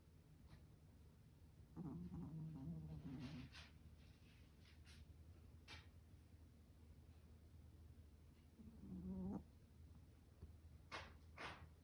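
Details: Sleeping Maltese dog snoring, with two drawn-out, low, buzzy snores that fall slightly in pitch, at about two and nine seconds. Quiet breathing and faint clicks fill the gaps in a still indoor room.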